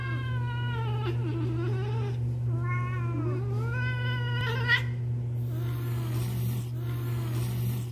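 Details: Jealous male cat Liam, an indoor pet, reacting while another cat, Luna, sits on the owner's lap: long drawn-out wailing meows with rising then falling harmonics, three extended yowls over eight seconds, and a steady low hum underneath.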